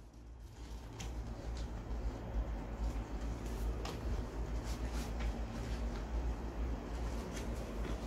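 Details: Steady low rumble like a moving vehicle or train fills the recording, with faint intermittent clicks and knocks and no animal voice.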